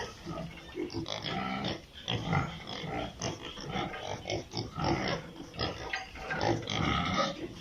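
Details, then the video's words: Piglets on a pig farm in Italy, a dense chorus of short overlapping grunts and squeals in rapid succession, with broadband rustling and shuffling throughout. "Sound of piglets in pig farm"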